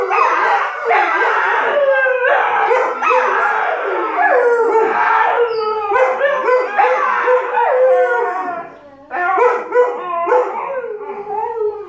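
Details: Two dogs, an Alaskan Malamute puppy and a Siberian Husky, arguing vocally: rapid string of yowling, talking-style howls with sliding pitch, short bursts tumbling into longer wavering notes, a brief pause near the end.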